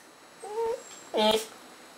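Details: Goldy, a pet dog, 'talks' on command, making two short tonal moaning vocalizations, a softer steady one followed by a louder, rougher one with a slight drop, against quiet indoor background.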